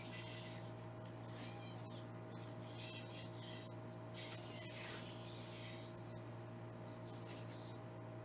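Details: Foster kittens being weighed indoors on a live kitten cam in Los Angeles; two short, high, thin kitten meows rise and fall a few seconds apart over a steady electrical hum.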